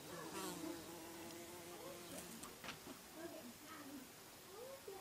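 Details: Several bees buzzing with rising and falling, wavering hums as they fly about, interrupted by scattered ticks and clicks.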